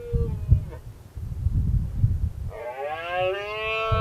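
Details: Red deer in the 2016 rut, a dominant stag challenging rival males. After a brief faint call and low rumbling, a loud harmonic roar begins abruptly and holds steady, gently falling in pitch.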